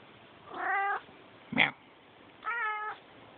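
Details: Three calls from a domestic cat: two steady, harmonic meows about half a second long framing a sharp, brief squeak-like cry, over low background hiss.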